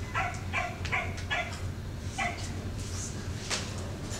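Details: Cardigan Welsh Corgi barking while herding cattle, a high-pitched screech-like bark; about six short sharp barks in the first two and a half seconds, then fainter sounds, over steady low rumbling background noise.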